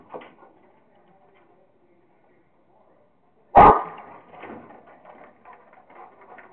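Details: Rottweiler at play with a squirrel: quiet panting-like murmurs, then one sudden loud bark followed by low grumbling, huffing vocal sounds.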